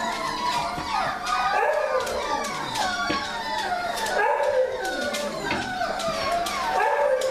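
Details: Puppies from the 2017 winter litters of Mega x Rudy and Maggie x Rigley in the morning, several overlapping high whines and yelping howls rising and falling in pitch, swelling into a continuous chorus with short breaks.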